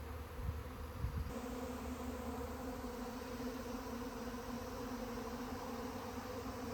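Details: Honey bee swarm humming in a continuous, even drone with a prominent mid-low tone, a couple of soft knocks in the first second, then a steady buzz to the end.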